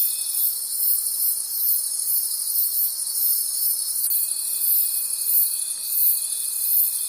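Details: Crickets calling in a forest at night: a dense, shrill, pulsing high chorus of many insects, with a thin steady tone that drops out after half a second and returns at about four seconds.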